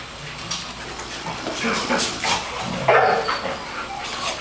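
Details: Dog named Talulah sleeping hard after play and snoring: breathy, rasping bursts repeated about every half second, growing louder toward the middle.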